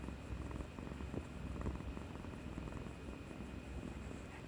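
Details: Domestic cat Kuri-chan purring while affectionate after bravely getting an injection, 18 March 2020; a soft, steady, low rumbling purr runs throughout, quiet and close, with faint indoor hum.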